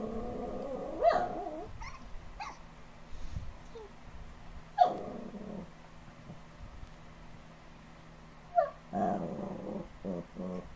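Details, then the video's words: Two dogs making 'talking' sounds; drawn-out growly groans and whining rises come in three main bursts spread over about ten seconds, with quieter mutters between them. "talking dog"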